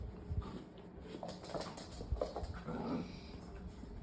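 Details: Labrador Retriever puppies, two littermate brothers, giving soft, brief whimpering squeaks in short scattered bursts, mixed with low thumps and rustling handling noise.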